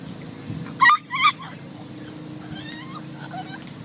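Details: Upset pet dog, distressed at being left behind as a person walks away, gives two loud, wavering, high-pitched whining cries close together, followed by fainter rising squeaky whimpers over a low background hum.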